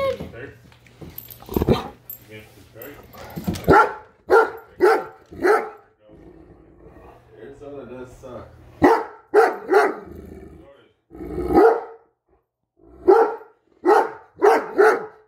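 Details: Upset by a measuring tape, a Great Dane barks repeatedly in short, punchy bursts, sometimes in quick clusters, while a woman talks and coaxes it between volleys.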